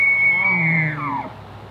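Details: A bull elk in Banff National Park bugles: a long, high, pure whistle that slides steeply down at the end.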